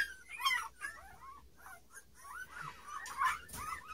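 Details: Nine-day-old Standard Poodle puppies, born 12 March 2018, lie indoors beside their mother and keep up a stream of short, high, overlapping squeaks and whimpers. Several voices chirp and whine together, some rising and some falling.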